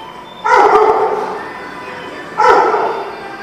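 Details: Dog barking twice, two loud, harsh barks about two seconds apart, each with a sharp onset and a trailing fade, over a steady background hum.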